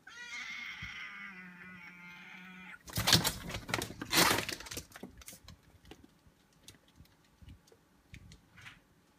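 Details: Siam Foreign White cat in a disagreement: a drawn-out, wavering harmonic yowl over a low steady growl for nearly three seconds, then a loud burst of hissing and scuffling noise that fades into scattered taps and thuds.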